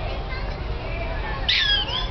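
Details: Captive prairie dogs at the San Francisco Zoo in August 2005: one sharp, bright bark with stacked harmonics lasting about a quarter second, rising out of a steady murmur of visitors' voices.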